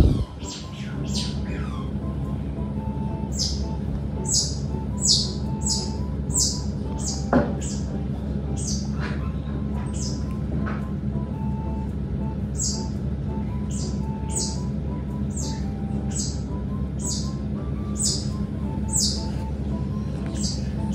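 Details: Mother otter giving meat to her young, with a steady run of high, sharp squeaking chirps repeated in quick bursts about every half second to one second throughout, over a low steady hum and faint soft tones.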